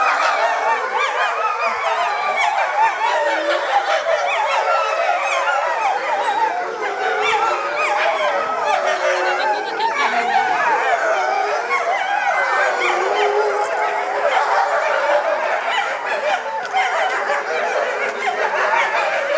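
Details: Gray wolf family at Higashiyama Zoo howling together: two parents with three young born 2010 and three born 2011, a dense chorus of overlapping wavering howls sustained throughout, voices rising and falling around each other.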